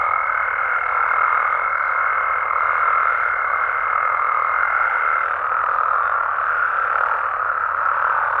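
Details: Frogs in Mexico calling after dark: a thick, even chorus of croaks, with a thin high steady tone over it for the first five seconds before it stops, leaving only the massed chorus.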